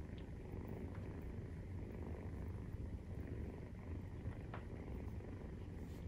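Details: Maine Coon purr recorded during nursing, kittens 43 days old. The rumble is dense and low and vibrates evenly without pause, with faint light clicks here and there.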